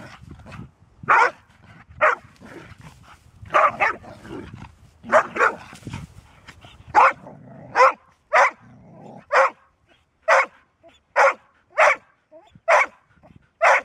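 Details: Golden Retriever barking, said to bark seldom but then persistently: a busy start with overlapping barks and low noise, then a steady run of single sharp barks roughly every half to one second.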